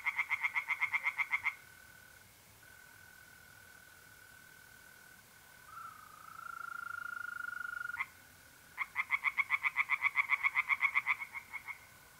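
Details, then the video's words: Pond tree frogs on a mid-April night in north-east Italy give two fast bursts of rhythmic croaks, about four per second, separated by a quiet gap filled by the even, droning trill of mole crickets. "relaxing singing tree frogs in pond and trilling mole crickets by night"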